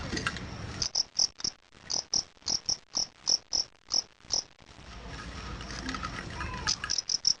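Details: A fighting cricket chirps in short, bright pulses repeated about every quarter second, then pauses, recorded as a sound test.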